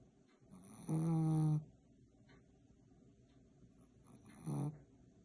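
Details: A sleeping Chihuahua from Saint Petersburg snores. There is a loud, rasping, harmonic snore of under a second, then a quiet pause, then a second, shorter snore about three seconds later.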